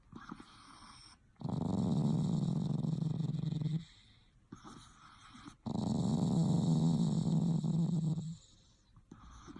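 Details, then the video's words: Dog named Jingles, either snoring or growling: two long, steady low rumbling breaths of about two and a half seconds each, separated by quieter pauses, with a constant high hiss in the background. "Jingles snoring or growling??"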